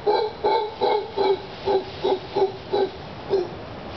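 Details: Mantled howler monkey (mono congo) hanging out near a cabaña, giving a series of nine hoarse, hooting grunts in a steady rhythm, roughly one every 0.4 seconds, each short and slightly nasal, with faint background hiss.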